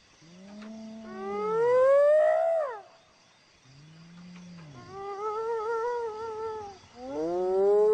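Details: Hyena uttering a series of long, moaning whoops, each swelling upward in pitch before falling away, separated by brief gaps; later notes waver slightly and the last begins rising again.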